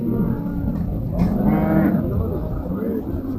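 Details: Cattle at the Afyonkarahisar Çayırbağ livestock market in 2024, among sacrificial animals, calves and a pregnant heifer: a single low, harmonic moo of under a second, over crowd murmur and market bustle.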